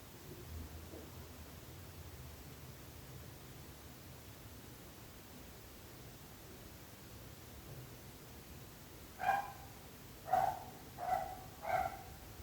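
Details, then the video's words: Nuisance barking from a dog: nine seconds of quiet low rumble, then four short sharp barks in quick succession near the end, about one every second. "26 minuts gossos lladrant / 26 minutes barking dogs."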